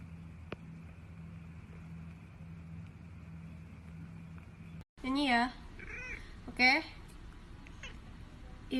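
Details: Cat heard after five seconds of quiet background hum, giving two quick, wavering, warbling meows about a second apart, then a brief faint call at the end.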